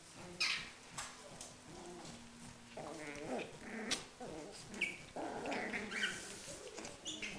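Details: Schipperke; growls and yelps; fighting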